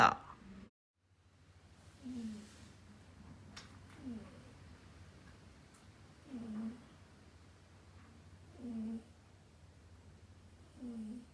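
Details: Pet cat Dayako snoring while asleep indoors: soft, low, nasal snores roughly every two seconds, five breaths in all, over a steady low household hum in a small room, after a brief thump at the start.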